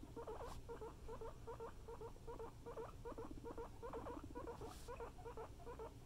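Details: Guinea pigs wheeking and rumbling: a soft low-pitched pulsing rumble in short bursts, repeated about three times a second, with a faint steady hum underneath.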